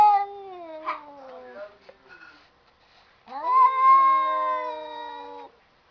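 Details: Cats talking indoors: a long, slowly falling meow, a pause with faint murmurs, then a second loud, sustained wailing meow that holds steady before fading.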